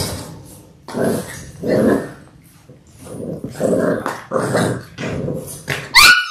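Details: Six Labrador Retriever puppies in their sixth week, born January 18, 2022, watched on a live puppy cam on February 28. Rough, throaty growling comes in short bursts about once a second, with brief pauses between, and one sharp yip at the end.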